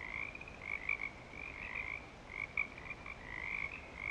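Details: Many frogs calling at Clearwater Commons in breeding season: overlapping high trilled calls blending into a steady shimmering chorus, with brief louder pulses standing out near one and two and a half seconds over a faint low rumble.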